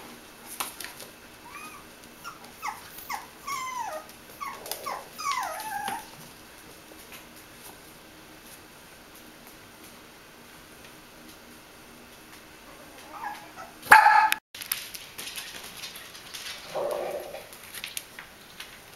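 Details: Five-week-old Bichon Frisé puppies at a small kennel in Vejle, Denmark, give a run of high, thin whimpers that slide downward, several in quick succession over six seconds; after a long quiet stretch comes one sharp knock, then faint murmuring.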